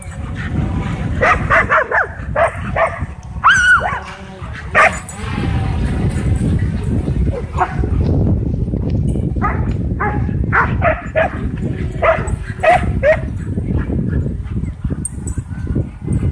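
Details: Several dogs at a dog park whipped into a frenzy by a DJI Mavic 2 drone, barking in a rapid, overlapping burst of sharp calls, with a steady low rumble of wind and drone noise beneath.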